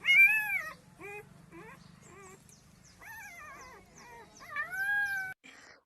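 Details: Hungry puppies crying for their absent mother and her milk: a series of high, wavering whines and short yelps, some arching up then down, with a person speaking softly in between.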